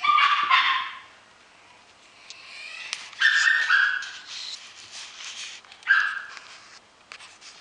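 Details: Dog in a pet shop: short high yelping barks in bursts, a cluster at the start, then single sharp yips near three and six seconds, with indoor clatter between.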